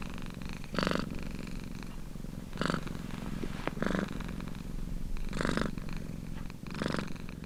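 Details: Domestic cat purring steadily, a low pulsing rumble with louder breathy surges about every one and a half to two seconds, five swells in all, in a quiet indoor setting.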